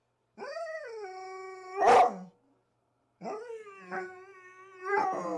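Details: Playing rough in the morning, Rhodesian Ridgebacks Zahara and Weya give long, high, steady whines broken by a sharp bark, then another wavering whine.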